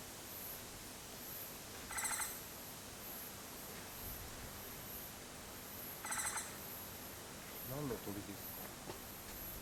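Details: Japanese giant flying squirrel (Petaurista leucogenys) on Mount Takao, Japan, 19 August 2014: two harsh, buzzy, pulsed rolling calls about four seconds apart, with a steady high insect hiss and people talking near the end.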